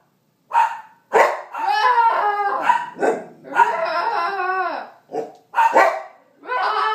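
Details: Bernedoodle puppy Sasquatch mixes a few sharp yaps with long, quavering, rising-and-falling howls lasting about a second each.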